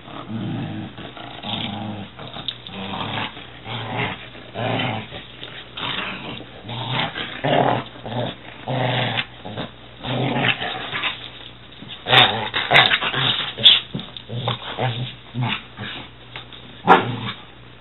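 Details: Two dogs, a six-month-old Weimaraner and a six-year-old Catahoula, roughhousing in play; irregular growls and snarls come in bursts, with clattering and scuffles between them.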